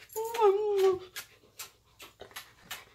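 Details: Pet dog at home vocalizing while its owner kisses it for too long: a drawn-out whine about a second long, falling slightly in pitch, followed by soft kissing smacks in a small indoor room.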